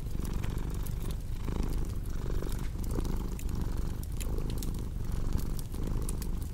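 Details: Close, rumbling purr from a pet cat, swelling in steady breath cycles, with scattered snapping crackles of a fireplace in the background.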